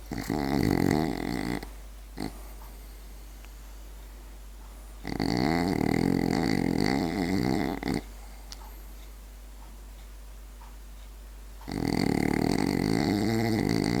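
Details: A French Bulldog snores in loud, rattling, snorting breaths roughly every five seconds.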